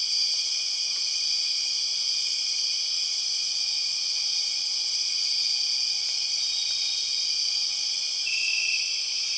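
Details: Empress cicada chorus in Borneo rainforest: an unbroken, intense, high-pitched buzzing drone of several layered tones, with faint brief chirps on top and a thin whistle near the end.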